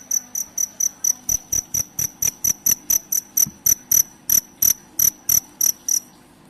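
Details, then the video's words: Cricket calling, meant as a rat repellent: crisp, shrill chirps about three per second, a few spaced slightly wider apart, over a faint murmuring background. "suara jangkrik!! pengusir tikus"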